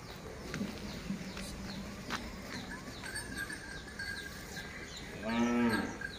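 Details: A pair of Hallikar oxen walked by a farmer in Tumkur City; a single drawn-out moo with rich stacked harmonics arrives near the end, preceded by constant town bustle, horns and distant talk.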